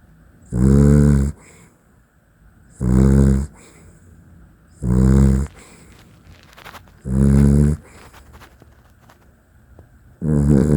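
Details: A Dachshund asleep indoors snores steadily, five harsh low rumbling breaths roughly every two seconds, each about half a second long, with faint rustling between them.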